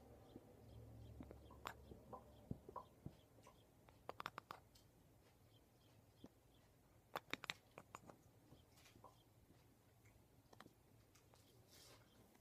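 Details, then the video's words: Female pet cat, Cutie Pie, chattering indoors at a window as she sees a bird outside; short bursts of rapid dry clicks cluster near four and seven seconds, with scattered single clicks in an otherwise quiet room. "Chattering Cat"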